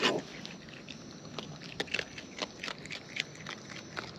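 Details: Close-up chewing of wild raccoons while eating, a sharp crack at the start followed by rhythmic clicking bites roughly every few tenths of a second against faint background noise.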